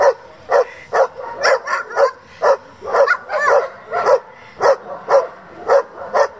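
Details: German Shepherd from a breeding and sport-competition group barking continuously, about two barks a second, some doubled and uneven, loud and close throughout the clip.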